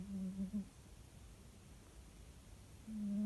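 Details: A pet cat sleeping indoors snores with low, droning, steady breaths that rise and fade, one ending near the start and another beginning near the end, separated by quiet room hush.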